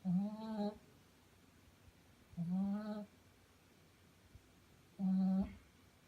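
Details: A five-month-old female Shih Tzu snoring while she sleeps indoors: three steady, humming, low-pitched tonal snores, each about three-quarters of a second long, repeating roughly every two and a half seconds in a quiet room.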